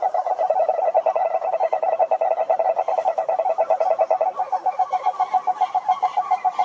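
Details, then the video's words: Croaking toads calling together, rapid throbbing pulses at a steady middle pitch, with a second, slightly higher pulsing voice joining in the latter half. "Som do Sapo Coaxando"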